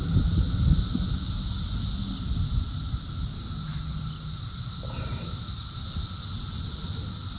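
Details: Summer cicada chorus near Chicago, Illinois, on June 3, 2024, many insects buzzing and flying about: a dense, shrill, continuous whine stays level for the whole stretch, layered above a low, rough background rumble.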